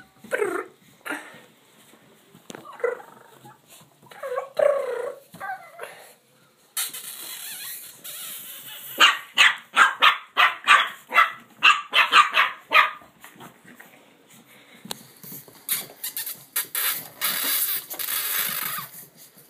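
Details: Blue Boston Terrier puppies almost six weeks old, playing after a bath: small yips and growls early, then a run of rapid rhythmic scuffling and rattling bursts, with more scattered noisy bursts near the end.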